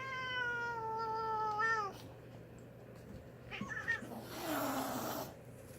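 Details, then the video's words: Plump domestic cat, annoyed at being petted with a foot while grooming, tail thumping as another cat grabs at it: a long, slightly falling harmonic yowl lasting about two seconds, a pause, then a harsh breathy hiss of about one second. "Hissing cat"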